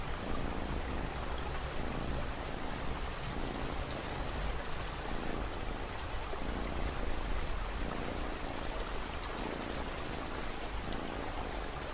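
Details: Steady dense rainfall with a continuous broadband patter and no animal voices.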